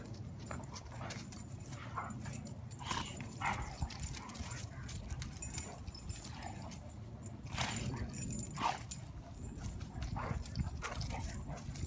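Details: Two 4-year-old female dogs, a Rhodesian Ridgeback and a Weimaraner, play and roughhouse, giving short yips, whimpers and gruff huffs in scattered bursts over a steady low rumble.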